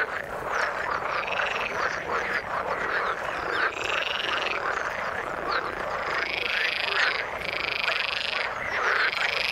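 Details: Many frogs calling together in the water: dense, overlapping rasping croaks pulse steadily throughout, with several brighter, longer notes standing out above the chorus near the fourth, sixth and seventh seconds.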